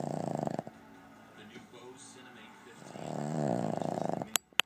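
A Boston Terrier snores in rough, fluttering rasps, with a quiet pause between two long snores.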